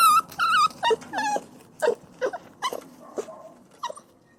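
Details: Puppies crying: quick, high, quavering whimpers and short yips packed closely together, fading gradually over a few seconds against a faint background hiss.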